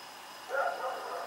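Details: Rex, a dog out in the night on October 7, 2018, lets out one bark with a slightly drawn-out, echoing tail against low steady background noise.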